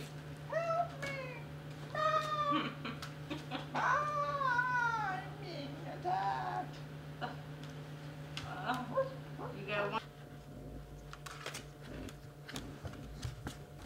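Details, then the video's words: Basset Hound puppies playing indoors: high, wavering whines and squeals that rise and fall in quick bursts during the first ten seconds, over a steady low electrical hum, with people talking and laughing. "Baby Basset Hounds Playing"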